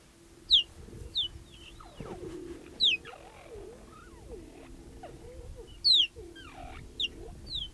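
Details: In Kenya's Olare Motorogi Conservancy, a cheetah family of mother and three cubs greets a young male intruder with loud, high, bird-like chirps, each a short falling whistle, repeated at uneven intervals over a low hum.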